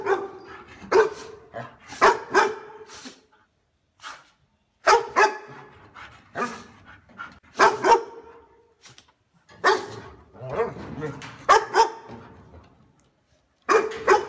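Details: Deep, forceful house-guarding dog barks arriving in short clusters of two to four, separated by brief silences, steady through the whole stretch with no other clear sounds.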